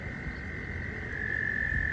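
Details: Pond frogs in mating season, recorded up close while swimming in a small pool, produce an unbroken high-pitched trill that grows slightly louder toward the end, with low murmuring noise beneath.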